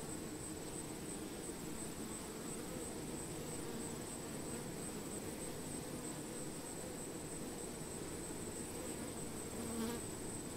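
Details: Honey bees working flowering plants: a continuous murky low drone from many bees, one brief clearer buzzing note near the end, and a faint steady high whine in the background throughout.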